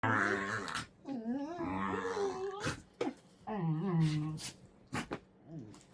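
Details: Two dogs wrestling in play, not fighting, indoors in a small room, make strange, dinosaur-like noises: rumbling growls that slide into whiny, wavering harmonic grumbles in several bursts, with short pauses and brief thumps between them.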